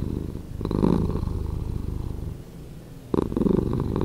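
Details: Domestic cat purring, slowed down: a deep, continuous low rumble with fine rapid pulsing, swelling louder on each breath cycle and easing between, with breathy surges recurring about every two to three seconds.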